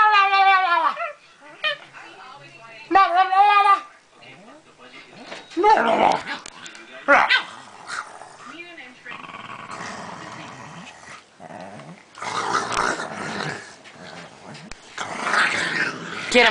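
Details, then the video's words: A talking Pekingese opens with two wavering, falling yowls. Long stretches of noisy growls, handling sounds and its owner's encouraging speech follow. "the talking Pekingese"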